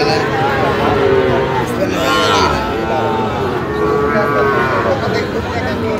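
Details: Sahiwal bull calves at a busy cattle market, 17 October, bought by a farmer from Dhaka: drawn-out harmonic moos around the middle and again near the end, over steady crowd chatter and bargaining voices.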